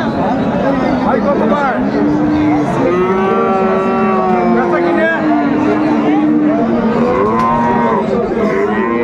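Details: Friesian and crossbred bull calves at Raniganj market, Dinajpur, 23 December 2024: a string of long, low moos, one swelling and falling over several seconds, mixed with other calves' calls and busy human chatter.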